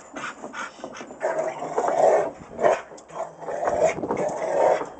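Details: Rottweiler vocalising during a workout, rough mid-pitched growling barks in uneven bursts, some clustered, others spaced about a second apart, swelling louder toward the middle and end; no other clear sounds.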